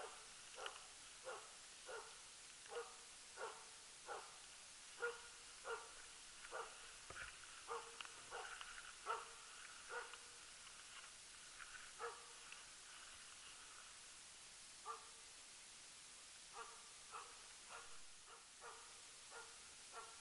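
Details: Jämthund Rapp giving tongue on an elk during loose-dog hunting, elk number ten of 2012; rapid, distant barks come in dense runs, briefly thinning mid-way, then resuming in quick clusters over a quiet background.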